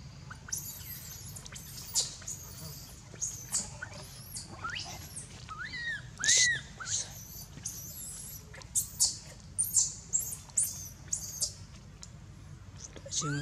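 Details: Angkor Wat temple: the baby monkey named Anissa screams in pain, having been hit and dragged over hard earth by Aron. Rapid bursts of piercing, very high shrieks, some rising then falling, repeated throughout over a low background hum.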